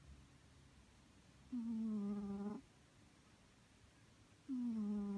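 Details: Asleep and snoring, Maru the male Scottish Fold, aged three, gives two loud, buzzy-toned breaths about a second long each, falling gently in pitch, separated by a short silence.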